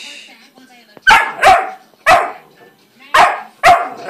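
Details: German Shorthaired Pointer x Boxer puppy in a playful yet fussy mood, giving five sharp, loud barks in two pairs and a single, each short and harsh, with a person's quiet shushing before.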